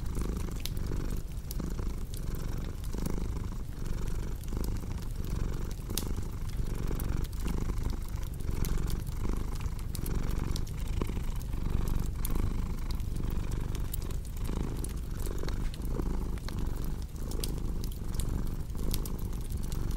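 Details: Long stretch of a cat's unbroken, low vibrating purr with a gentle in-out breathing pulse, layered with the crackling and popping of a cozy fireplace, offered as soothing sound for insomnia and relaxation.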